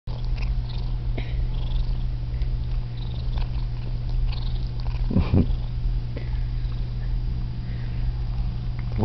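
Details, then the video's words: Domestic cat named Whity purring loudly and steadily while washing and grooming itself, content and happy indoors; a continuous deep rumbling drone throughout, with a brief louder rustle near the middle and faint licking sounds. "Cat Purring Loudly, Washing and Grooming Itself"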